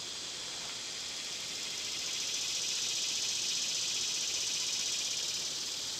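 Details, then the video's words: Cicadas on a summer day, loud at this time of year, fill the air with a dense, high, shimmering buzz that pulses slightly, swelling stronger after about two seconds and holding steady to the end. "Birds & Squirrels w/ Cicada sounds"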